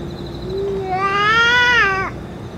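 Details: A single long meow from stray cats where the boss cat ate food and medicine: a soft low onset swelling into a bright harmonic cry that ends abruptly, over a low steady hum.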